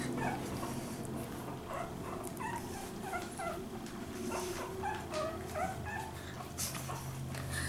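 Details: Young puppies, three Pekingese and French Bulldog litter being raised together by a Pekingese mother; repeated thin, high squeaks and whimpers overlapping in quick succession, with a low background hum.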